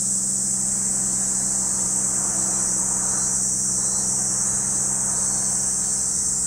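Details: A steady, shrill cicada chorus at Lake Kamo, Sado City, Niigata Prefecture, Japan. Under the unbroken high buzzing runs a low engine-like hum with some mid-range rumble.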